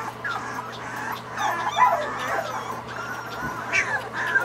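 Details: Several Irish Wolfhound puppies at feeding time whining and yipping together, high wavering whimpers overlapping continuously with occasional sharper yelps.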